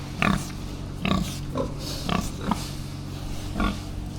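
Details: Pigs on an organic farm being given new hay, short grunting calls in bursts about every second, over steady low machine drone from a front loader.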